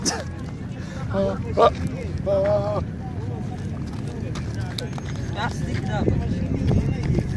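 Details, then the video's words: Goat bleating in short wavering calls, two clear bleats near the start followed by fainter ones, with people talking, footsteps and outdoor bustle around. "Funny Goat Sound || Talking Goat"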